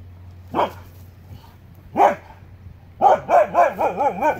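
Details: Two huskies barking at a mountain lion on the Pacific Crest Trail, 13 August 2017. Two single sharp barks come about a second and a half apart, then a fast wavering yodelling run of rapid barks over a low hum.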